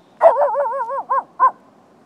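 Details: At night, a Lhasa Apso barking at deer gives a long, wobbling, tonal bark-howl that rises and falls, then two quick, clipped barks, with a quiet background.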